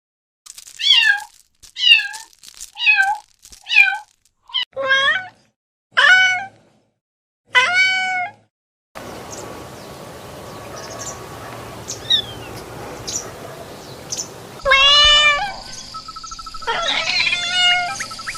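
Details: Domestic cat, described as sounding like laughing, gives a quick run of short, bright meows about once a second for nine seconds. A noisy, hissing stretch follows, with a few faint calls and a harsh burst near the end.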